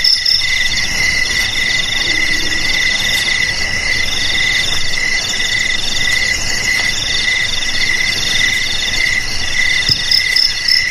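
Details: Crickets, offered as a sound to scare rats away from homes, garages, storerooms and rice fields. Steady high pulsed trills layered at several pitches, with a shrill chirp returning about every half second and faint low rumble beneath.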